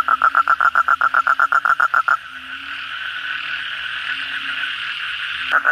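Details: Asian common toads calling in chorus after a heavy night rain. A close toad gives a quick, even string of about fourteen loud pulsed notes, then stops, leaving a dense humming chorus and low croaks before its pulses resume.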